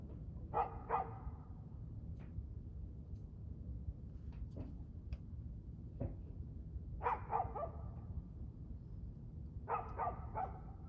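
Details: A dog barks in the evening of 2/6/2024 at 6:02 pm, the calls coming in tight pairs and triplets every few seconds, with faint clicks and a low rumbling background between them.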